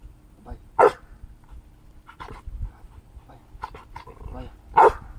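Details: Luna, an 8-month-old female Rottweiler, gives two deep, sharp barks a few seconds apart on a spoken "bark" command during training, then is praised.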